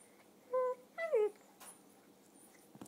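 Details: Donut, a three-year-old red toy poodle, whines while playing her usual game: two clear high whimpers, a steady tone then a slightly falling, wavering one, followed by a soft rustle indoors.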